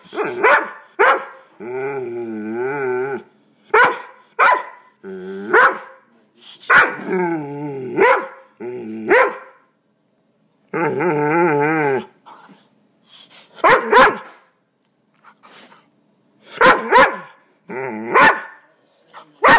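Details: Dog that hates the air pump alternates choppy barks with drawn-out, quavering, throaty howls held for one to two seconds, then trailing into scattered yaps.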